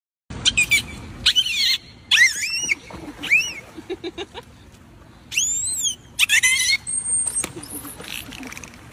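A dolphin gives high, arching whistles that sweep up and down, mixed with sharp clicks.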